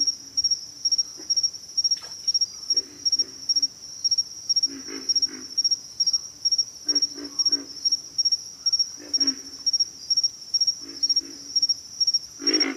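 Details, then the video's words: Deep guttural grunts from pig frogs, often doubled or tripled, scattered through the recording, with a loud continuous shrill insect chorus pulsing in rapid triplets above them and a louder grunt at the close. "pig frogs - sound effect"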